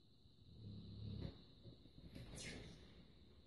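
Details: Sleeping Labrador named Luna gives one short, low, rattling snore, then soft breathing. A constant high-pitched whine runs underneath.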